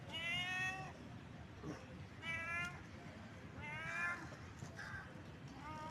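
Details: A cat in heat calls with repeated plaintive meows, four main cries across six seconds plus a short faint one at the end, each harmonic-rich and slightly falling, over low hum.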